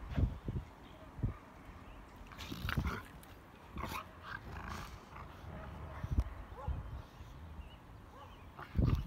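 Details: Rottweilers in a pack at play, biting, chewing and pulling hemp ropes in tug-of-war: scattered low growling bursts and thumps separated by quieter stretches, with faint human talk.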